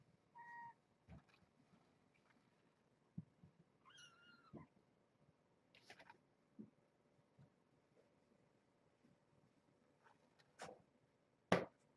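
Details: Kittens with their mother Janine, a brown tabby found as a stray near Tulalip, Washington, sheltered at Purrfect Pals; two thin, high mews slide downward, separated by quiet stretches of scuffling, taps and soft play noises.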